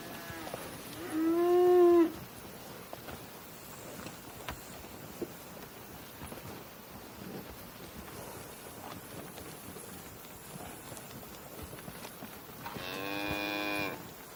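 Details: Two cow moos about eleven seconds apart: a loud, harmonic-rich moo near the start, then a longer, higher, brighter bellow near the end, with quiet rustling and faint ambient clicks between.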